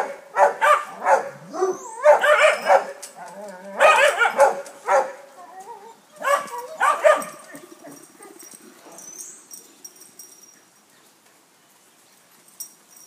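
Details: Playful visit of a neighbour's St Bernard to Basset Hounds: clustered, resonant barks and bays for the first seven seconds, then fading to quiet with faint rustling and occasional soft sounds.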